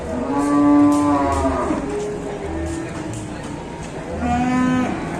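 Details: Raging, charging cattle at an Indonesian cattle depot give two long, low moos rich in harmonics: one of about a second and a half near the start, a shorter one near the end, over a steady background hum.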